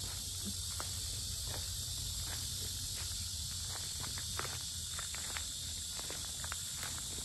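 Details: Very loud cicadas at the Sinjeongho lotus fields in Asan, Korea, giving a continuous high buzzing drone over a walker's steady footsteps and low rural background hum.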